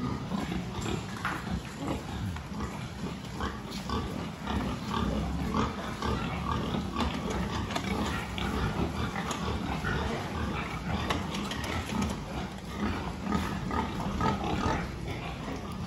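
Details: Farm pigs under a health check, 26 October 2023: a steady jumble of low grunts and snorts from many animals over constant barn noise, with knocks and people talking.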